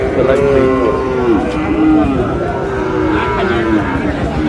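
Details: Sahiwal bull calf at a cattle market in Madaripur, Bangladesh; a couple of wavering moos sit in a steady hum of crowd chatter and market noise, with bargaining voices nearby.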